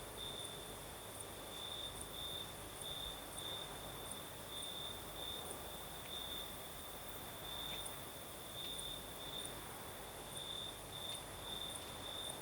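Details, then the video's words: Night chorus of crickets in southern Crimea, night breeze blowing: continuous high-pitched trill with rhythmic brighter bursts roughly twice a second, beneath a constant airy rush of wind. "Сверчки поют"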